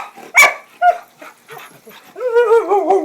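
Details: Excited dog raring to go, one of two dogs reacting to its owner mentioning keys: two sharp barks, then a drawn-out wavering, harmonic woo-woo howl over the last second, with a man talking nearby.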